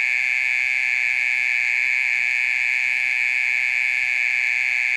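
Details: Mole cricket singing late at night, a long-running and noisy performance; an unwavering high-pitched electric-sounding buzz with layered overtones, holding constant pitch and volume throughout.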